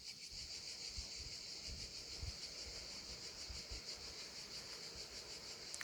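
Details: Around 39 degrees just after 18h, cicadas led by a loud 'chef' cicada keep up a continuous shrill, pulsing buzz, while a light wind rumbles low in the background after an earlier Mistral.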